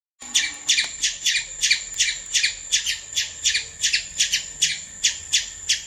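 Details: Squirrel giving a fast series of harsh, buzzy chirps, roughly three every second, each a short raspy burst, kept up steadily for several seconds against a quiet background.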